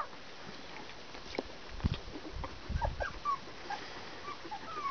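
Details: Border Collie puppies of Bajo Aragón, 19 days old, giving a few thin, high squeaky whimpers with short upward-bending pitch, spaced irregularly among soft low thumps and shuffling.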